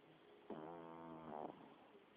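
A Pekingese gives a single drawn-out, buzzy snore lasting about a second.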